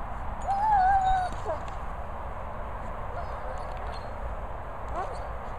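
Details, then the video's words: German Shepherd Roxy/Flow screaming at the boomer: a high, wavering, whine-like cry lasting about a second, followed by a few quieter short cries, over steady broadband outdoor rumble. "GSD Roxy/Flow screaming at the boomer."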